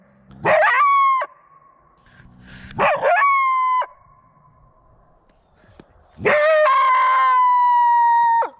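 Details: Three drawn-out calls from a coyote, each starting with a harsh, broken burst and then holding a clear, flat, ringing tone. The last call is the longest at about two seconds, ending in a slight downward slide. The background is otherwise quiet.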